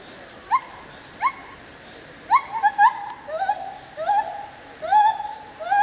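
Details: Captive white-handed gibbon, Hylobates lar, at the Opole zoo in Poland: two isolated sharp rising hoots, then a quickening run of whooping notes that lengthen into sliding, wavering wails.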